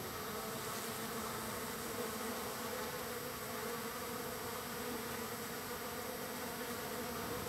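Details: Wild bees gathering in large numbers on the third day of being fed, giving a steady, dense droning hum with a low fundamental and bright overtones that holds level throughout, no other sounds standing out.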